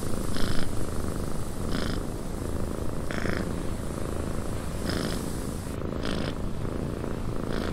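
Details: Purring cat in a cabin with wind outside; deep continuous rumble broken by regular airy bursts about every one and a half seconds as the cat breathes in and out.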